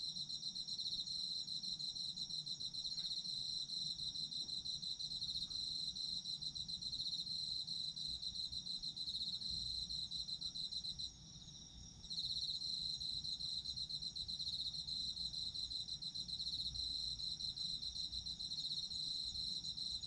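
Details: Autumn insects in an unbroken shrill chorus of fast pulsed trills and a steady ringing tone, set for sleep listening; one brief dip near the middle, otherwise constant, with soft background hum below.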